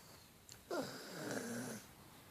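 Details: Dreaming dog asleep indoors: a soft click, then a sharp nasal snort that slides down into a long humming, whistly snore, held steady for about a second before stopping.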